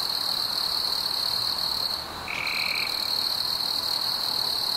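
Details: Crickets chirping on a warm summer evening among fireflies: a steady, high, unbroken shrill trill runs throughout, with one brief lower buzzy burst of about half a second near the middle.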